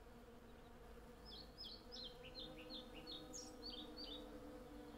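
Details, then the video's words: Western honey bees in their hundreds foraging on cherry blossom give a continuous low, even drone. From the second second, a run of bright descending bird chirps rides over it. Captured on a Zoom F6 with a Sennheiser MKH 8040. "Honey Bee Sound Library"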